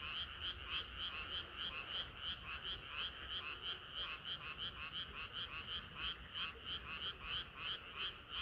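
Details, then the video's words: On a sultry summer night frogs keep up their chorus, one prominent caller croaking in quick even pulses, roughly three each second, above a steady hum of many more frogs. "개구리들의 합창은 끝이 없어라"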